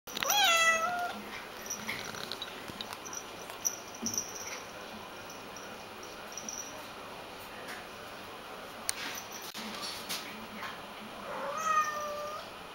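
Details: Domestic cat indoors, desperate to be let outside, gives two drawn-out wailing meows, one at the start and another near the end, each bending down in pitch; quiet room noise and a few soft knocks fill the gap between.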